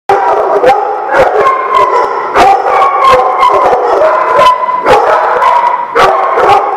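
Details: Several dogs at The Barking Lot, recorded 30 January 2017, bark sharply and repeatedly, about one bark every half second, with drawn-out howling whines holding steady underneath throughout.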